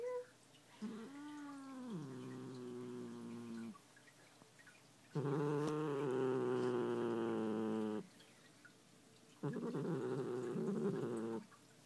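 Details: Pet cat Muffin protests being brushed with a falling moan followed by two loud, rough, sustained growls, each several seconds long with brief silences between.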